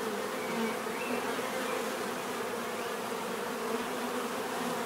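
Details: Bees buzzing without pause, a constant layered drone of many wings with faint pitch wavers as insects move around.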